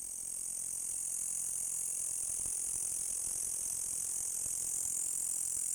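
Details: A green insect gives a loud, steady, high-pitched hissing buzz without a break, in the dark.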